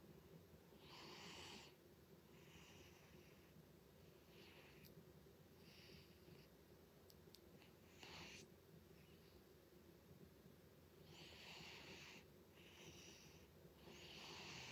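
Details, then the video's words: A loudly snoring pet cat named Butters, its breaths coming as soft rasping whooshes roughly every one to two seconds, with a couple of brief clicks and a quiet background hum. "Cat Snores Loudly"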